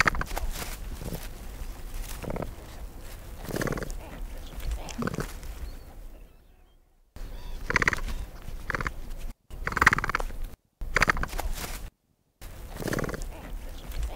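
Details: Capybara vocalizing where it lives wild: spaced gruff grunts, each a short harmonic burst roughly every second or two, with quiet pauses and abrupt cuts between sections.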